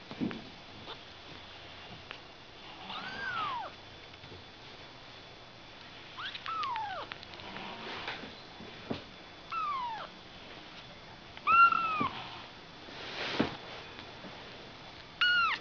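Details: Ragdoll kittens born on 31 March give about seven high, thin mews, each arching up and then sliding down, spaced irregularly with pauses of one to three seconds between them, over faint rustling and background hiss.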